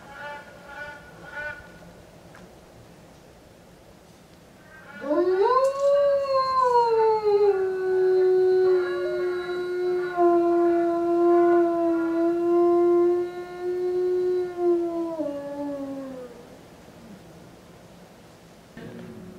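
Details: Eastern timber wolf, male, five years old, housed at Tokushima Zoo, Japan, howling in the afternoon in January 2017: one long howl sweeping up steeply, easing down, then held level for about ten seconds before fading.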